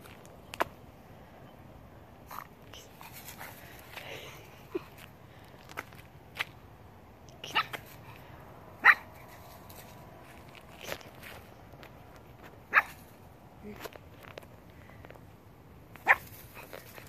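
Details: Bo Duke, a pug puppy newly welcomed into a family, gives short, sharp yips and squeaks. They come at irregular spacing, roughly one to two seconds apart, over a quiet indoor-sounding background.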